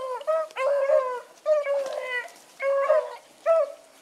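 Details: Pups in training howling together with other dogs, a run of harmonic, wavering howls and yips in four bursts over a few seconds, pitch wobbling and sliding, with no other clear sounds.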